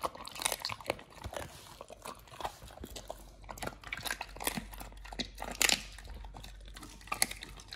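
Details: Raw-fed Pit Bull nomyen crunching through fish and duck feet: sharp, bright crackles and wet bites come in rapid irregular bursts, with a loud crunch near the end and a faint low hum throughout.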